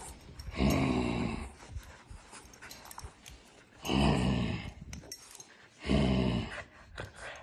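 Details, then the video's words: A Boston Terrier named Odie playing with a toy in a small room, giving three deep, rasping growls roughly every two seconds, each lasting about a second, with panting and faint handling noises in between. "Odie playing with Toy"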